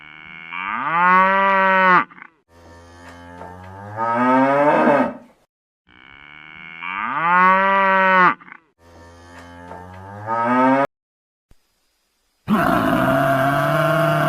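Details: Cow lowing in long, loud, rich moos, each followed by a lower, rougher moo. The pair repeats twice, then a brief pause gives way to a different harsh, broad farm-animal sound at the end.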